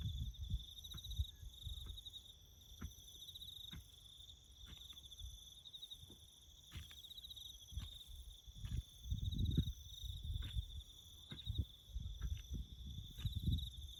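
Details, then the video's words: Bush crickets on farmland where a road is being built, keeping up an unbroken high buzzing trill with fine pulses, while deep rumbles and scattered sharp knocks come and go beneath it. "crickets chirping"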